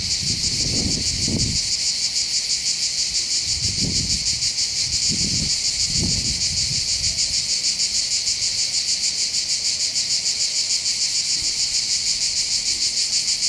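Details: Chorus of cicadas above Bandol harbour on the Côte d'Azur, Var, France, during summer holidays: continuous shrill buzzing with a fast rhythmic throb, broken by a few soft low thumps and wind bursts early on.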